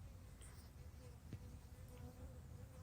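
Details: Western honey bees forage for pollen and nectar on purple flowers that bloomed after April rain on a cloudy, cooler day, swooping around with a soft, steady, low-pitched hum and faint wavering tones.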